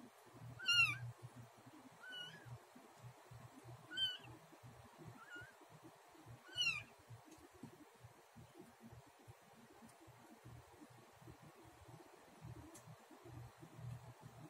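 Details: Domestic cat just after giving birth, eating the placenta beside a newborn kitten; four or five short, high, thin mews that rise then fall, spaced a few seconds apart, over a quiet low rumble.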